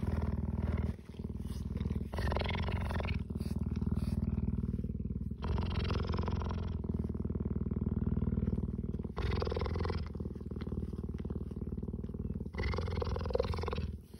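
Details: Loud, continuous low purr from a cheetah licking people, alternating between rougher and smoother phases every few seconds as the animal breathes in and out, with no other clear sounds.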